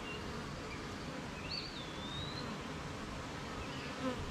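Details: Honey bees humming at their hive on a rainy morning, surrounded by gardens, farms and fields. A steady low, dense droning buzz fills the clip, with a thin rising-and-falling bird whistle near the middle.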